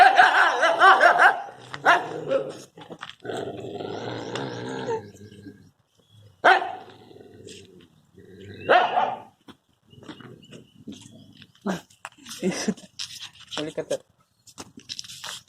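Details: Dogs fighting while a person tries to stop them: rough harsh barks and growling in bursts, loud at first then scattered, with human voices and laughter between.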